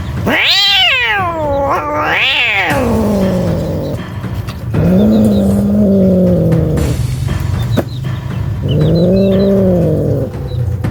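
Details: Scared street cat giving loud drawn-out wails: two high rising-falling yowls, then two long low moaning howls, against steady background noise and faint chirps.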